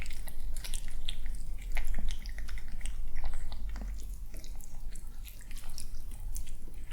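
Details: Cautious young male cat indoors, enjoying a morning meal. Louder, sparser bites and crunches arrive in uneven bursts, with a constant deep hum underneath.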